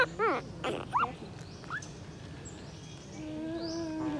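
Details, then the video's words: Puppy crying and calling for its mother: a few high, rising-then-falling whimpers clustered at the start, then quieter thin whines over faint background noise. "Crying puppy calling for mom"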